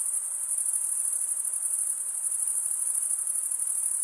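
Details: Cricket chirping, produced by males running the top of one wing along the toothed underside of the other, sounds as a sustained, sharp high trill, rapidly pulsed and steady, alone in an otherwise silent setting.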